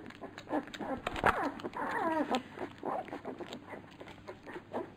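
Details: Labrador Retriever puppies at feeding, giving a few wavering, falling whines and squeals among loud clicks, knocks and smacking noises.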